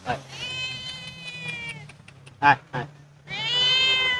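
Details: Homeless, hungry cat that lost its family, being called and fed: two long, drawn-out harmonic meows, the first sliding slowly downward for nearly two seconds, the second rising near the end, with a person's short calling words between them.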